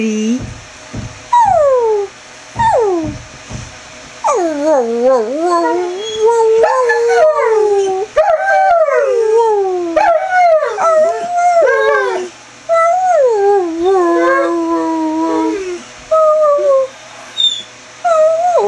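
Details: Chevelle, a greyhound, mixes roos and whines: rapid wavering, sliding notes that rise and fall, some short and squeaky, others drawn out and wobbling, packed closely over nearly twenty seconds.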